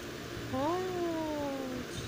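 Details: Kitten calling at home; a single long meow, rising briefly and then sliding slowly downward for over a second, over steady background hiss.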